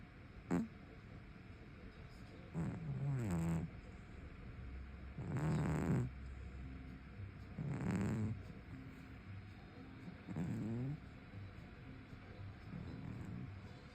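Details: Brown tabby cat snoring while sleeping soundly in front of a stove. Soft, rasping snores swell and fade in a slow rhythm, one breath roughly every two and a half seconds, in a quiet room.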